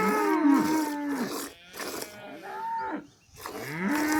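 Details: Village cow lowing in a few short, wavering moos with bright harmonic bands, the calls bending up and down, separated by brief pauses with faint background noise.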